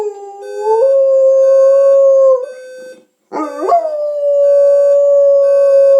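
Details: Pet dog howling at a ringing alarm clock to wake its owner on time: a long rising howl that settles into a steady held tone, breaks off briefly, then a second rising howl held to the end, with faint steady electronic alarm tones.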